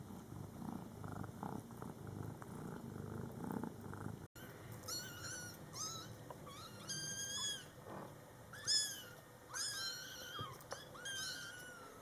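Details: Scottish Fold kittens in their first month, born July 22, 2012, with their mother cat: soft low purring at first, then a run of high, thin, arched mews, several in quick bursts, some overlapping.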